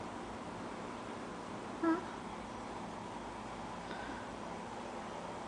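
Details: A steady low hiss of indoor room noise with one brief faint tick near the middle; no animal sound is heard.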